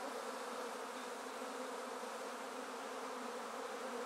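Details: Massed honey bees buzzing in a swarm basket after being collected from a tree, fanning with their queen; thick, unbroken hiss-like drone of many wings, steady in volume.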